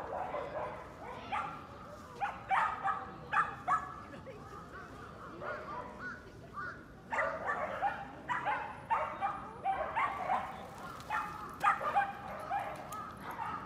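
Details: Dogs at the Yoyogi Park dog run in Tokyo bark steadily, with quick, irregular barks, several per second at times. Human voices and general outdoor bustle sit underneath.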